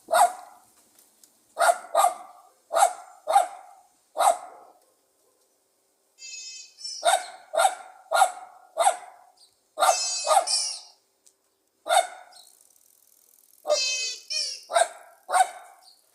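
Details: Pug dog barking repeatedly, sharp and confident with a lively tone, in evenly spaced single barks and short clusters, broken by several high-pitched squeaky, whining bursts between them.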